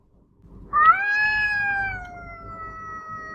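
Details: Female domestic cat howling at another cat out of view; a single long drawn-out tonal wail that rises sharply at the start, then holds steady and slowly fades over about two and a half seconds.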